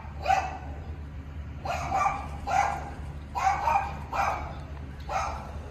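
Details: Young Tibetan Mastiff puppies barking in a loose series of six bright, yappy barks spaced roughly a second apart, over a constant low background hum.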